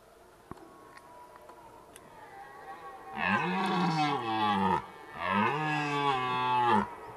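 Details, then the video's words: Red deer rut at Zvārde: after a few seconds of quiet with faint clicks, a stag gives two powerful, gravelly roars of about one and a half seconds each, deep and richly harmonic, swelling then dropping in pitch. "Briežu baurs Zvārdē Red deer rut"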